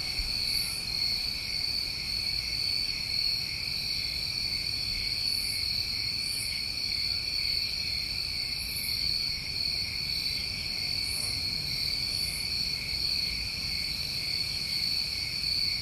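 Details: New England summertime crickets: an even, ringing multi-toned trill chorus without pause, plus short piercing buzzy pulses recurring every one to three seconds above it, over quiet low ambient noise.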